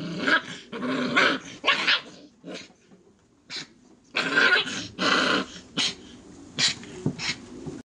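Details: Five-week-old Airedale Terrier littermates playing with a person: loud, gritty growls and snarling yaps in short separate bursts, with brief silent gaps between them.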